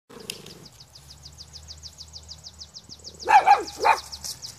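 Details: Pomeranian dog noticing a dandelion for the first time, giving two or three short, sharp barks close together near the end, while a high, rhythmic chirping repeats steadily in the background throughout.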